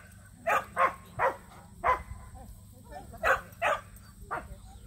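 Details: Samoyeds Mozart and Zuko enter a local match show for the first time. Repeated barks come in an uneven series, four close together then three more after a pause, over a faint hum and low murmur.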